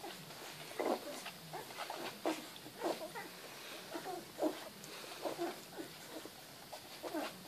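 Rottweiler puppies whine and yelp in short, overlapping bursts.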